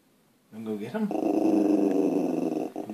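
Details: Puppy indoors growling at deer outside: a low, steady, throaty growl with rapid pulsing that swells after a short start and holds for about two seconds.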